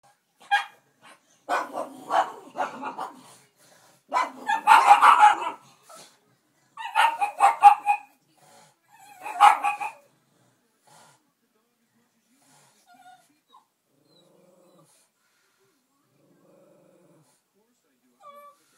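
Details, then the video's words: Two dogs, Benny and Gracie, barking indoors while watching the dog Minnie on Full House on TV; clusters of harsh broadband barks in the first ten seconds, some overlapping and scuffling, then near silence with faint TV sounds. "Benny and Gracie Reacting To A Dog On TV"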